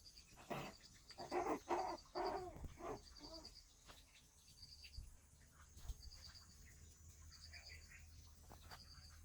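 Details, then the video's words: Shih Tzu dogs in the daytime, playing and eating: a quick cluster of sharp, yappy barks in the first three seconds, then quieter, with a steady high cricket chirring running underneath throughout. "Shihtzu cute doggies at day time: playing, eating, barking etc."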